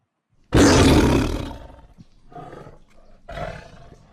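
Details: A tiger gives one loud, rough, deep roar lasting about a second, followed by two shorter, fainter growling breaths.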